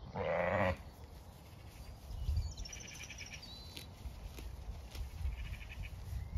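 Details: Zwartbles sheep grazing fresh pasture with lambs exploring, on a regenerative farm in County Kilkenny, Ireland; one loud, deep, throaty bleat opens the clip, followed by faint, higher distant bleats amid wind noise.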